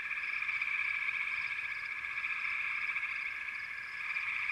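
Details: Frog chorus: a dense, steady trilling drone with faint pulsed notes above it, running unbroken through the whole stretch at an even loudness.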